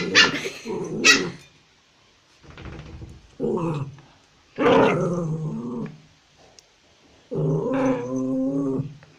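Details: Angry toy Pomeranian kept as a pet in Kathmandu, Nepal, giving a few sharp yaps, then drawn-out growling barks and snarls in separate bursts with brief silences between them.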